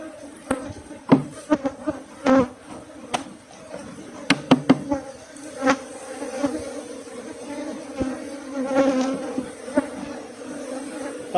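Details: Asian honey bees (Thai cavity-nesting bees) at a farm hive, foraging on natural seasonal flowers and never fed. The comb, holding larvae, is being cut out. A steady low droning hum with a faint overtone runs throughout, broken by sharp knocks and clicks of handling.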